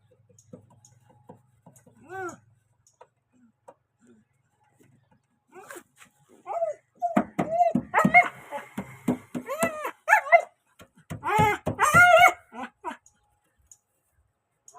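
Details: A puppy searches for a rat that got inside a car, giving a cluster of high, arching whines and yelps mostly in the second half after a quiet start, with people talking and faint music nearby.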